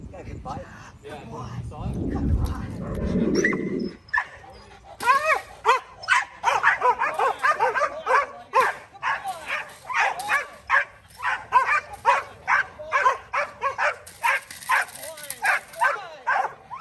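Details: Male Rottweiler on its first day of protection training and bite work barks rapidly and repeatedly, roughly two barks per second, sharp and loud, after an opening stretch of muffled voices and handling noise.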